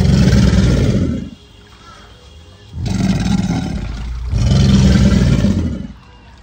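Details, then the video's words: Alligators bellowing in mating season, a call made by both males and females on land and in water: three deep, rumbling, roaring bursts, each lasting over a second, with short quiet pauses between them. "What does an alligator sound like?"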